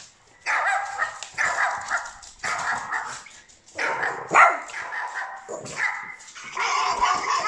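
A Boston Terrier puppy gives a run of sharp, high barks and yips, answering other dogs.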